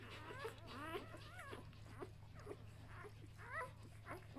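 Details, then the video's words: Samoyed puppies one day after birth, from a B litter, whine in repeated high squeals, wobbling up and down, about two per second, overlapping with soft rustles and a persistent low hum. "Samojedenwelpen 1 Tag alt"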